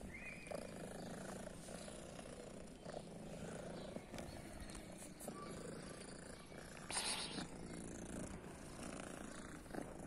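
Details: Steady, coarse purring from a female cat with a blue eye, thought to be deaf, on a guarded private property; the low rumble carries on throughout, with a short burst of rustling near the middle.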